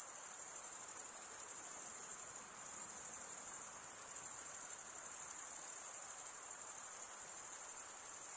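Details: Crickets, males chirping by rubbing one wing's toothed vein against the other, make a steady, shrill, very high trill. It runs without a break, with a fine pulsing texture and only slight swells in loudness.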